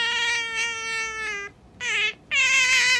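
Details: Sakura, a pet otter, is being stroked and gives three steady, high, nasal whines in a quiet room: one long drawn whine, then two shorter ones.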